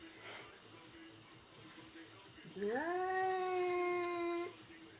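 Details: Domestic cat giving one long drawn-out meow, rising at the start and then holding a steady pitch for nearly two seconds, following a quiet stretch with faint background noise.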